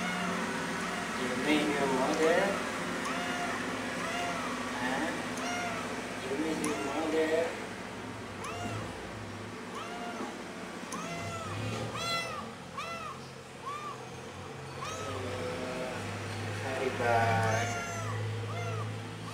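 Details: Pretty the cat meows very loudly, missing its mother: a dense run of arched, rising-then-falling meows, some overlapping, repeating over a steady low hum.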